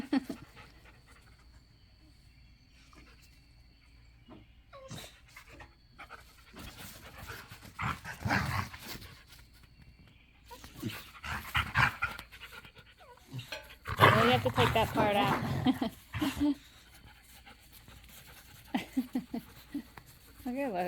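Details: Pit Bull puppy Gohan playing with his new pack at a private dog park; rough, breathy panting comes in noisy bursts through the middle and later seconds, separated by quieter stretches with scattered thumps and brief human voices.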